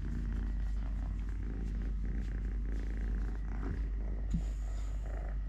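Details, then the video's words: Continuous low, throbbing purr from Totoshka, a three-legged domestic cat, during eating, play, walking or play-fighting with a hand; brief clicks and a short higher rustle near the end over the steady rumble. "LITTLE GREMLIN PURR PURR | Having Food, Playing, Walking, Fighting with hand, purring"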